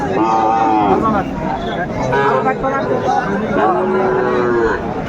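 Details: Sahiwal cattle at a Kushtia livestock market in Bangladesh, 2 January 2025, where bull calves are sold: several drawn-out, harmonic moos rise and fall across five seconds, overlapping one another above a steady bed of crowd chatter and bargaining voices.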